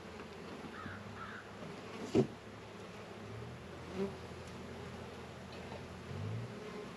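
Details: Bees at a northern Kentucky apiary with Warre and Langstroth hives, active on a warm 72-degree February day; a constant low droning hum, a sharp knock or click, and a few faint distant caws early on.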